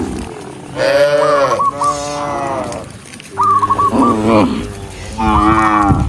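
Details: Countryside herd of dozens of tame cows being driven along; three hoarse, rising-then-falling moos roughly two seconds apart, with brief high chirping whistles on top.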